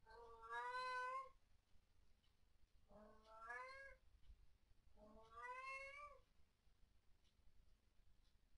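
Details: Domestic cat named Fluff, indoors at night, calling out at what its household calls ghosts or orbs it dislikes; three long, drawn-out wailing meows, each over a second, rising then falling, spaced about two to three seconds apart, quiet room otherwise.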